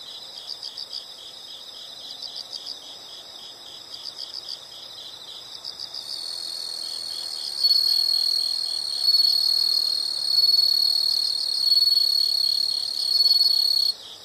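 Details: Natural insect sounds: groups of quick high chirps pulse regularly at first, then a sustained piercing trill begins and rises in loudness, continuing until it stops just before the end.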